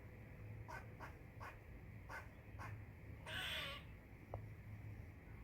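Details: Squirrel chirping loudly: five crisp chips in quick succession, then a single rough, wheezing rasp and one faint final tick, over a low droning hum.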